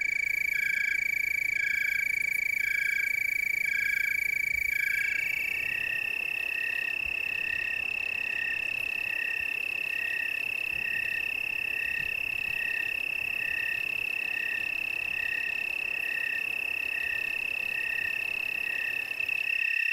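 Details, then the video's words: Tree cricket chorus from the Willamette Valley, Oregon: several high trills overlap, one shifting into a sustained pure ringing tone with a softer pulsed trill beneath it, over a constant hiss of background noise. "Tree cricket chorus"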